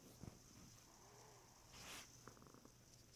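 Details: Mimi the cat asleep at midnight on January 1, 2016, snoring: a soft breathy rasp near the two-second mark, then a short run of quick fluttering pulses, all over a steady low electrical hum.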